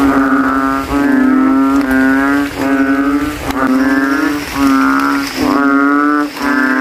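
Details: Kodok kintel, the banded bullfrog, calling in a rain puddle at a cemetery after nightfall, rivals trying to outdo each other; low resonant bleats come about once a second, slightly overlapping one another.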